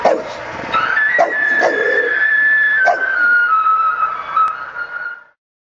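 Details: Bulldog Homer howling with a passing ambulance or fire engine siren, a sustained wavering cry that holds level then slowly falls before fading out, over the drawn-out siren tone.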